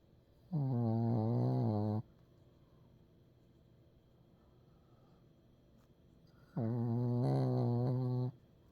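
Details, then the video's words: Two rumbling, harmonic snores from a sleeping Pekingese, each about a second and a half long and wavering slightly in pitch, separated by roughly four seconds of near silence. "페키니즈 코골이2"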